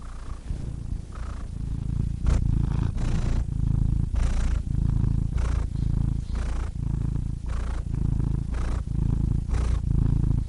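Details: Loud, strong cat purr recorded very close, a rough low rumble with pronounced breath phases about once a second, each inhale marked by a brief breathy rasp.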